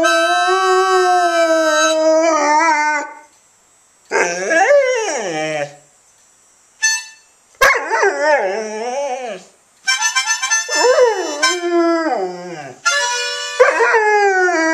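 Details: Dog howling along with harmonica music played by its owner: wavering, sliding howls and yips in bursts separated by short silences, mixed with sustained reedy harmonica notes.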